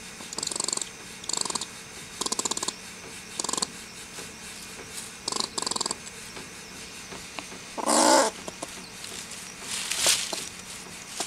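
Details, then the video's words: Irate squirrel, described as stressed, voicing short rasping, rapidly pulsed chatter bursts, each about half a second, repeated every second or so, with two louder breathy hiss-like rushes near the end in a quiet room. "Irate Squirrel"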